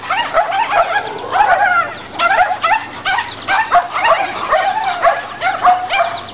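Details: A near-constant stream of shrill barks and yips as household dogs, a Chihuahua and a Rottweiler named, play a game with the dogs next door, as they do every day. The calls overlap densely with only brief gaps, and music sits faintly underneath.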